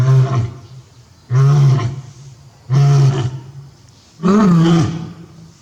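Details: Male lion at Tobe Zoo, Japan, on 5 October 2021, roaring with full force toward the backyard as if calling for an absent female companion; four loud, deep, drawn-out roars, each about half a second, separated by one-second pauses.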